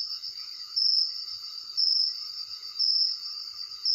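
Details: Crickets trill at night in a steady high-pitched band, with a louder pulse about once a second.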